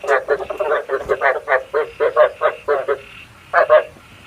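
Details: Decoy frog sound for trapping frogs at night with a bát quái trap: a steady string of rapid, buzzy, pulsed croaks with a short pause before a final pair of notes.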